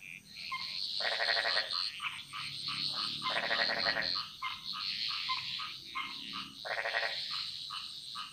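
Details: Frogs singing in a chorus in the Bali jungle, Indonesia: loud pulsed rattling croaks in bursts about half a second long, with softer higher-pitched frog calls filling the gaps between them.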